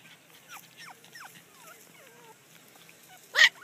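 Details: Litter of friendly, playful puppies with an adult female babysitter dog: a run of thin rising and falling whines and whimpers, then a short loud burst near the end.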